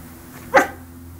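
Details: Benny, a Yorkshire Terrier puppy from Samsun, Turkey, gives one short, sharp bark indoors, rising quickly and cutting off after a fraction of a second, over a steady low room hum.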